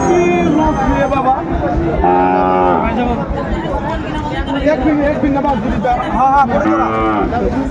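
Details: Sahiwal bull calves for sale at Ambari cattle market, 17 January 2025: two short, harmonic-rich moos about four seconds apart stand out over constant chatter and bargaining voices of buyers and sellers.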